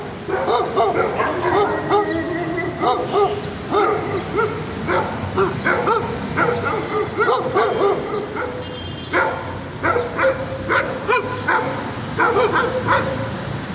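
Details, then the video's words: Dog giving an insistent run of shrill, clipped barks, grouped in quick bursts of several yaps with brief pauses, carrying on for the whole stretch. "Annoying dog sound!"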